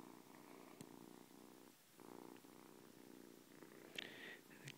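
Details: Newly adopted kitten, a 7-week-old former stray on its first morning indoors, purring steadily as a low rumbling pulse throughout, with brief clicks and a faint high tone near the end.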